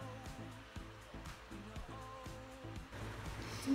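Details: Quiet music with a steady plucked rhythm and low hum, with no animal sound.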